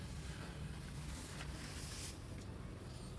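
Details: Steady rumbling wind noise buffets the microphone throughout, with no animal voice.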